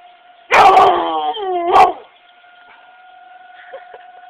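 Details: Howling at a tornado siren on its monthly first-Tuesday test, Mable, an 11-year-old female Chocolate Lab, gives one loud quavering howl that slides downward, then a rising second note, while the steady siren drones on.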